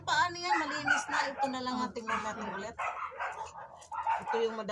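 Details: Siberian Husky arguing, giving drawn-out, wavering moan-like howls in quick succession, each rising and falling in pitch, with a person's voice mixed in.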